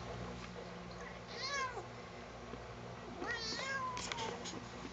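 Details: Domestic cat complaining while being combed indoors; two drawn-out, wavering meows, each rising then sliding downward, separated by a pause of over a second, over low room hum.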